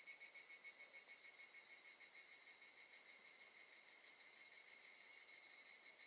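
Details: Evening cicada at Gakujin no Mori campground, Tokushima, Japan, August 2018, giving a clean run of evenly spaced ringing pulses, about three per second, each a shimmering high tone, fading a little toward the close.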